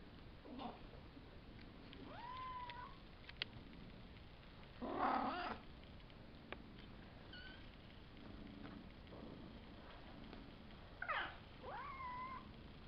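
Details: Savannah kittens about five weeks old, a litter of three males and two females, give a few rising, harmonic meows at about 2 and 11 seconds, with a louder broadband scuffle in between and quiet room noise.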